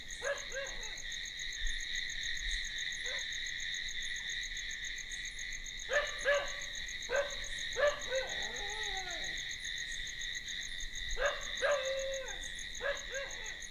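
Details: A continuous bed of high, pulsing night cricket trills runs throughout. Dog barks come in scattered bunches, with a wavering, descending call around the middle.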